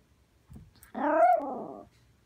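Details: Poodle, a female dog throwing a tantrum after waking up indoors, gives one drawn-out, wavering harmonic growl-whine of about one second, rising then sagging, preceded by a soft thump.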